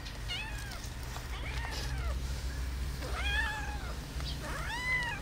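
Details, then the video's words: Domestic cat meowing, with another cat present that hisses: several arched, rising-then-falling meows in quick succession, rich in overtones, over a steady low hum. "why do cats meowing and hisses"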